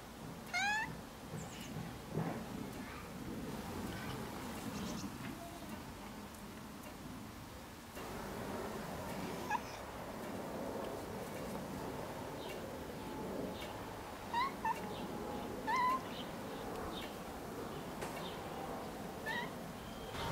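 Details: Lone cat crying in a garden, one strong wavering meow at the start followed by fainter, scattered short mews amid continuous outdoor noise.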